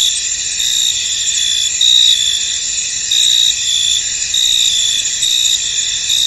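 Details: Misty field ambience dominated by crickets: high, ringing chirrup chorus, steady underneath, with louder trilled bursts arriving roughly once per second.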